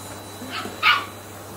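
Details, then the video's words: A 10-week-old Shetland Sheepdog puppy reacting to a vacuum cleaner it dislikes: a faint short yip followed by one sharper high bark, over a steady low electrical hum. "Shetland sheepdog 10 weeks meets the Hoover and does not Like IT"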